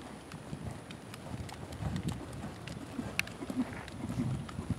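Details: Uneven low thudding footfalls of a young Lusitano Westphalian stallion, seven years old, being developed in dressage toward fourth-level work and passage, with occasional bright clicks over a dull arena background.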